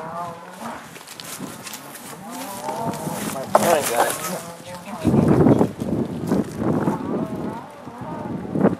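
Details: Black Angus herd, northeast Kansas farm, turned out to spring pasture in 2015; several overlapping moos early on, then louder rumbling and scuffling noise with further bellows.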